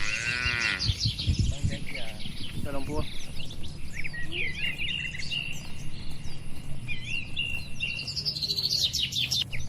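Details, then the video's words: Cattle grazing under herding in a peaceful oil palm plantation in the Indonesian countryside give a short low moo at the very start, followed by a brief second bellow, with busy bird chirps and trills throughout. "Moo… Bunyi Suara Sapi Lembu Lucu di Kebun Sawit yang Tenang"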